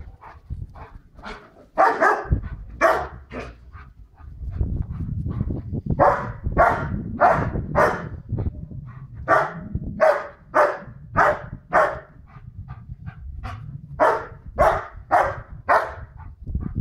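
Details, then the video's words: Tina, a White Swiss Shepherd, barks at people walking their dog behind the wall, showing she is boss; a long run of sharp barks, roughly two per second, over rumbling low background noise and movement. "Tina running about and barking. White Swiss shepherd, Beli Švajcarski Ovčar, Beli vučjak"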